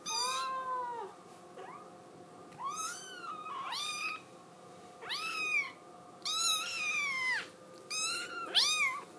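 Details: Scottish Fold kitten insistently crying to be let outside, indoors: six loud meows about every one to two seconds, each rising sharply then falling, bright and strained.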